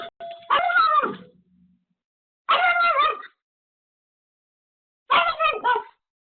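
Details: Pomeko the Pomeranian, left home alone, barks frantically at an unexpected visitor: three bursts of rapid high yapping about every two and a half seconds, the first trailing into a short whine.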